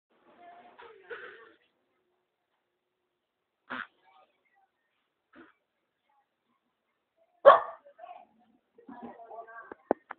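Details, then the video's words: A dog barking after going to poop: a few sharp, separate barks spaced irregularly over ten seconds, one loud bark standing out, with some human speech mixed in near the start and end. "The Dog had goes to poop and bark..."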